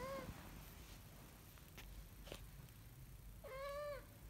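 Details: Kitten learning to walk gives a brief high meow cut off at the start, then a longer clear rising-and-falling meow near the end, with quiet indoor background and faint knocks between.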